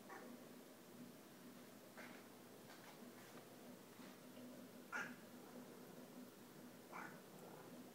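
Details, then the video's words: Domestic cats chattering at hummingbirds coming to feeders on a rainy day: three brief chirps about two and five seconds apart, each a sharp, clipped burst, with a faint constant low hum underneath. "Our cats watching and talking to the Hummingbirds."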